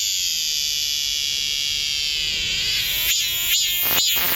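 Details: Cicada singing loudly within arm's reach, edging backward as it is filmed; steady, intense high-pitched buzzing drone that breaks into a few sharp pulsing chops near the end before stopping.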